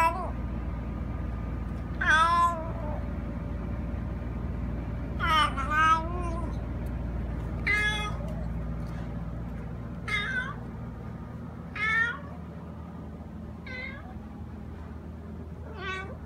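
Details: Pet cat, a male that cries like this all day and sometimes at 6 am, giving about eight drawn-out, wavering meows spaced a second or two apart, some rising then falling, with a constant low background hum.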